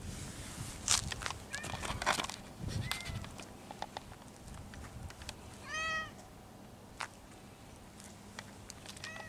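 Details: Stray cat calling quietly while being patted on the lower back; one clear short mew near six seconds plus fainter mews, among clicks and handling noise.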